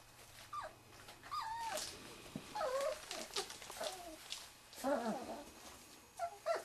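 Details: Three-and-a-half-week-old Wirehaired Pointing Griffon pups of the 2013 "E" litter smell bird scent for the first time, from a quail, on March 24; thin, wavering whimpers repeat every second or two over quiet rustling.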